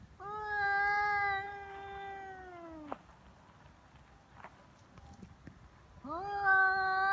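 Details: Feral cats fighting on Cat Day, 22 February, in Japan: long, steady, drawn-out yowl held for nearly three seconds, then ending abruptly; after a quiet gap a second rising yowl begins.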